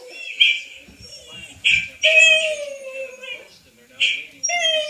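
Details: Female whippet reacting to hearing her own voice played back for the first time, giving steady, drawn-out howls of one to one and a half seconds, broken by short gaps and some brief vocal bursts.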